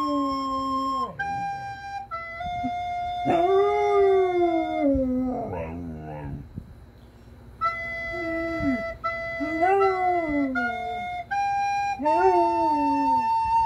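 A German Shepherd howls along with recorder music, its voice sliding up and down between the notes.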